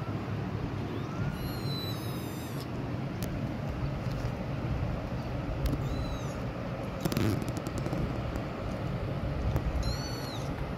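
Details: Kitten crying loudly, three thin high arched mews spaced through the recording over a steady low rumble, with a short crackling burst in the middle.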